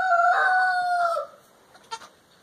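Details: Baby Boer goat kids playing and running around on a family farm; one drawn-out, steady, slightly falling nasal bleat lasting about a second, followed by faint rustling.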